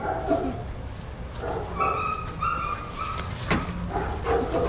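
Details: Shelter dogs playing together in a yard at Pima Animal Care Center, Arizona, watched by handlers; short tonal yips and barks repeat through the clip, with a low murmur of outdoor background noise beneath.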